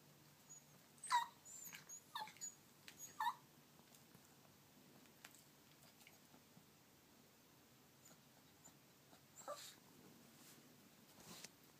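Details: A dog named Turbo whimpering because he badly wants his toy: a few short, high whining bursts near the start and around the middle, with faint scratchy movement noises in a quiet room between them.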